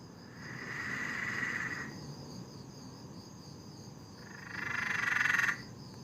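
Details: Peron's tree frog at night in a backyard in Sydney, Australia, giving two long rattling trills, the second louder and ending abruptly, with faint steady hum between.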